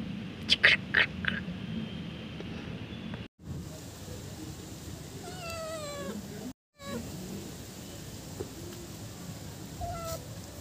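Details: Cat meowing to attract other cats: brief rustling bursts at the start, then a wavering, stepped meow in the middle, a short dropout, and a small faint call near the end over low room noise.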